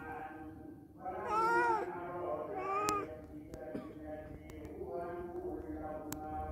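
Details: One of the cats that visited a house for a day or two gives a long, loud meow followed by a shorter second one, then quieter mews and voices in the background.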